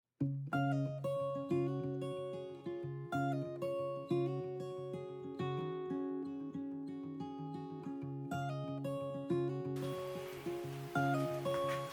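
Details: Plucked acoustic guitar music plays, with notes struck in bright repeated phrases and a brief hiss of background noise near the end, and no animal voice is heard.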